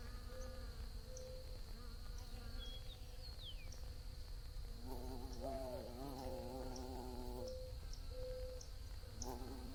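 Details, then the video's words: Bees buzzing in a calm outdoor setting. A quiet low hum becomes a fuller, wavering drone as one insect flies near mid-clip. Earlier, a couple of short descending whistles sound, and a steady high thin tone persists. "Bees Buzzing Sounds"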